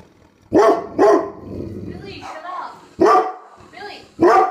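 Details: Pet dog barking at a suitcase: sharp, loud barks in a quick pair, then a pause with softer sounds before two more single barks.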